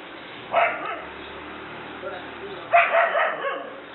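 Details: Frightened by a small toy dog at home, a German Shepherd barks in two short, harsh bursts about two seconds apart, with near silence between them.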